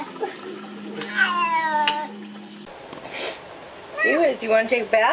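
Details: Cat protesting being bathed lets out one wailing meow, then a person asks whether it wants a bath amid faint splashing.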